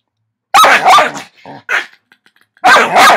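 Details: Dogs playing and wrestling on a Saturday afternoon, not really fighting; loud bursts of barking and growly yips around half a second and again near the end, with brief quieter sounds between.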